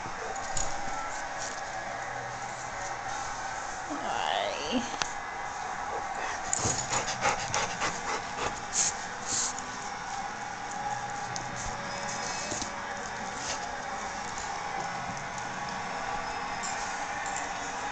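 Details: Australian Kelpie named Zeus, excited and 'talking' in greeting; a high whining tone sweeps up and down early on, followed by a burst of quick panting and snuffling over steady background hiss.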